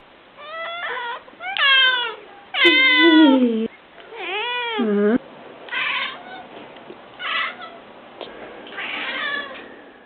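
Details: Cats with an unusual meowing voice: a run of drawn-out, wavering harmonic meows, some bending downward and strained, followed by fainter, shorter cries toward the end.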